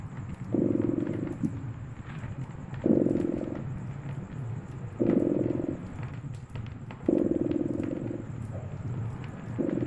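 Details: Winter fireside ambience with a purring cat: low vibrating purr pulsing in regular louder phases about every two seconds, five in total, accompanied by light crackling of burning wood.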